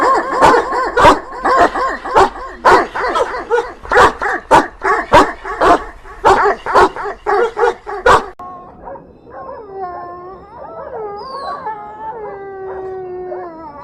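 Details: Dog barking in a rapid, regular series of loud, sharp barks for about eight seconds, then shifting to drawn-out, wavering whines and a short howl that rise and fall in pitch.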